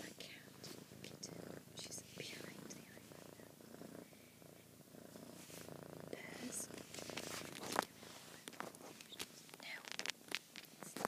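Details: A female kitten purring indoors: a low, steady rumbling drone runs through most of the stretch, overlaid by soft human whispering and small clicks and rustles close by.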